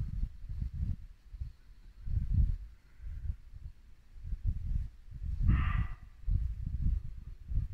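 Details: Muntjac deer in Norfolk woodland at dusk in late winter, giving a single short, hoarse bark partway through, set against a steady low rumble of a babbling brook and wind.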